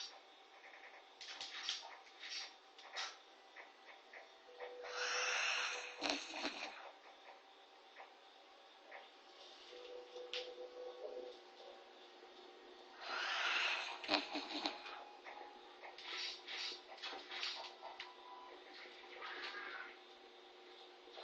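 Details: Corgi NANA, a short-legged dog, snores deeply after a bath: two strong hissing breaths about eight seconds apart, separated by fluttering nasal clicks and small snuffles.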